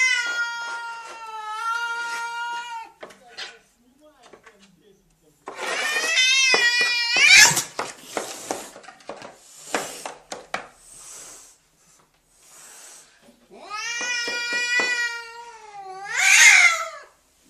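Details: Cat defending its home, indoors: loud sustained wavering yowls, first a long steady wail, then a rising howl that breaks into a harsh cry, and after scuffling thumps and clicks another long quavering wail ending in a sharp shriek.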